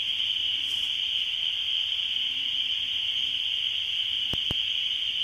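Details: Spring peepers calling in spring: a dense chorus of high, shrill peeps merges into one continuous ringing band with no gaps, steady in loudness throughout; two sharp clicks sound near the end.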